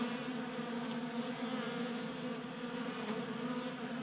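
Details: Short stretch of dense buzzing from a crowd of honey bees at a 3D-printed feeder on a garage workbench, Colorado, during a January warm spell; the hum stays fairly even and unbroken.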